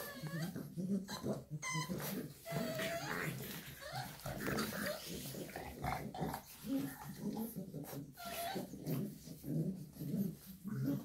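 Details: Shar Pei mother with her puppies indoors; soft whimpering and whining cries repeated throughout, short rising squeaks scattered among low growly murmurs, with faint speech in the background.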